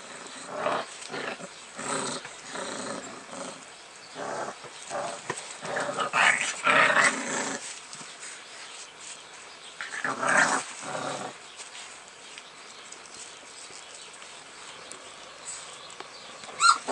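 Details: Several young American Bulldog puppies, recorded 18 February, give a run of short gruff growls and snorting grunts about twice a second, with a louder cluster midway, then quieter shuffling noises and a final sharp knock.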